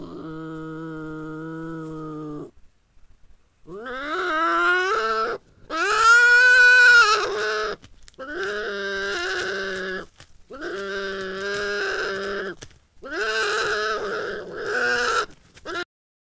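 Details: At night on a farm, a European badger living under the barn is visited by another badger, and they give loud, wailing, bleat-like calls in drawn-out bursts as they meet; the visitor seems unwelcome.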